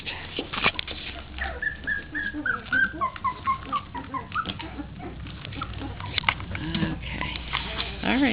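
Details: Young puppies, three weeks old and newly active at play, keep up a chorus of brief, piping, falling whines in quick succession while a person talks nearby, with scrabbling and bumping noises.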